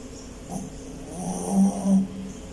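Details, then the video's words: Dean, a dog, snoring while asleep; low rumbling breaths swell twice in quick succession over under three seconds, with faint hiss in the background. "Dean's Snoring so CUTE"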